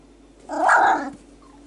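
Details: Four-week-old male Whippet pup, Kestrel, trying out his vocals: one loud, drawn-out rising-and-falling whining growl lasting under a second, in a quiet indoor room.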